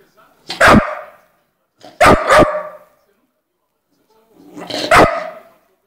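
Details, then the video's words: Three-month-old brown bull terrier puppy barking just after waking: a sharp single bark, a quick double bark, then a final bark, separated by silent gaps. "Latindo (3 meses)"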